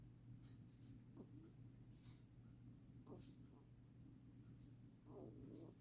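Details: Soft, raspy snoring from a rabbit, brief breathy puffs spaced about two seconds apart, the last one longer and fuller, all over a low steady hum in a quiet room.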